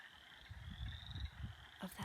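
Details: A chorus of wood frogs (Lithobates sylvaticus) singing at a forest pond gives low, rapid, duck-like clucking barks that overlap in quick succession, possibly with some chorus frogs' brrrt calls among them.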